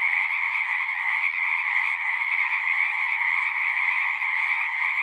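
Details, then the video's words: Many frogs calling at once from a pasture pond, recorded on a Zoom: a thick, continuous trilling chorus, high-pitched and level throughout, nothing else audible. "Frogs singing"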